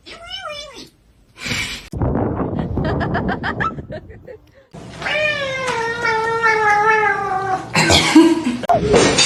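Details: Cat giving a short rising-and-falling meow, then a long, steady, drawn-out yowl of about three seconds. Human speech and noisy bursts fill the gaps between the calls.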